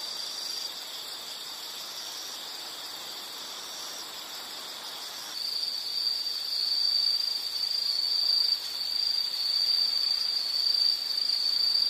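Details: Insect calling in a nature relaxation recording: a continuous high buzzing trill that starts faint and masked, then swells into a louder steady drone halfway through, with gentle waves in volume.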